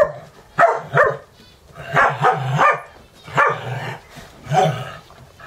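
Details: Dogs at a home dog-boarding setting in Valley Village, California, during a morning wrestling match while two others watch; short harsh barks and growly play noises come in bursts about once a second, with low rumbling between.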